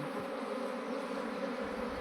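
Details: Swarming honey bees being transferred into a modern hive, giving a continuous thick buzzing drone, even in loudness, with a low hum underneath.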